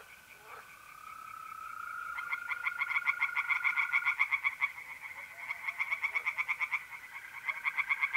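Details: Singing tree frogs by a pond in north-eastern Italy on a mid-April night, with two runs of quick, rattling pulsed croaks separated by a brief lull, while trilling mole crickets keep up a steady tone.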